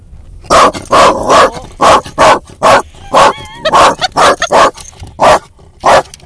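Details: Female dog barking out a car window at another dog; about fourteen sharp barks in quick pairs and groups over six seconds, with a brief high whine midway.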